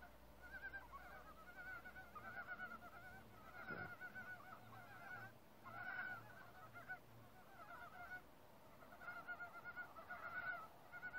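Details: Forest frogs in chorus, a group that fell quiet on sensing people and then resumed one by one. Overlapping pulsed, nasal calls come in bursts every second or so, with a dull low thump near the middle.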